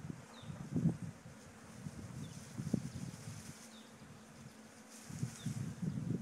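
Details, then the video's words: Low humming drone from a swarm of honey bees being moved after leaving a farm hive, rising in brief louder pulses near the start, middle and end, over quiet outdoor background. "Moving Bee Swarm"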